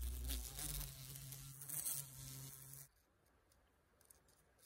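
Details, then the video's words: Carpenter bees in Appalachia: a loud, low, steady buzz that cuts off abruptly, leaving near silence. "Carpenter Bees Buzzin"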